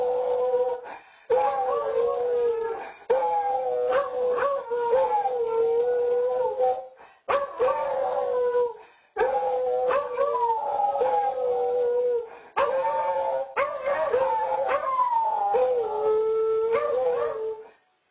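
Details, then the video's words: Pair of beagles on a home nest camera howling in a duet, the bouts separated by short gaps for breath; each phrase pairs a steady low howl with a higher wavering voice and clipped barks. "Beagle Duet"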